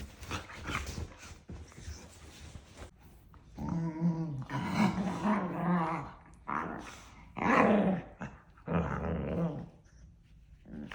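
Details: A playful daily squabble between two pet dogs that act like a married couple, nose-to-nose with love bites; harsh growled yaps in uneven bursts over nearly eleven seconds, some tonal and whiny, with breathy noise between.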